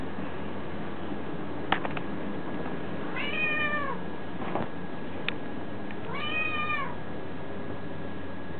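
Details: House cat meowing twice, each a clear arched mew about a second long, separated by a few clicks and taps, with a steady low-pitched hum throughout.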